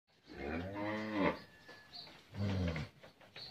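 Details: Friesian cow, sold with her bull calf after her second calving, on a farm in Pabna, Bangladesh: two low, harmonic moos, the first long and steady, the second shorter, with people talking quietly nearby.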